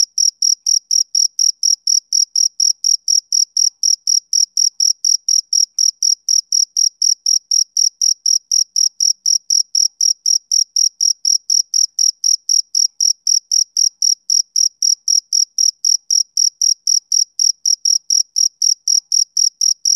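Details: Long continuous run of male cricket chirps on a summer evening, shrill high notes pulsing about three times a second with mechanical regularity, clean and free of other noise.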